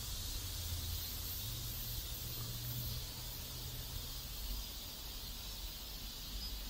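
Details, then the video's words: In a South Korean neighborhood, cicadas keep up an even, hissing buzz throughout, with a low mechanical hum passing by in the middle. "South Korean Neighborhood Sounds Cicadas"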